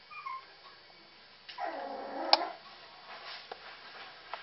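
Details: Puppies eating cat food: a single short, whining whimper rises mid-clip over faint clicking and rustling, with softer squeaks before it.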